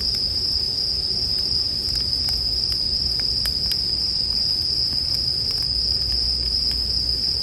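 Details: High ringing song of a bell cricket runs unbroken throughout, mixed with a campfire's frequent crackles and pops, some clustered together, and a low background murmur.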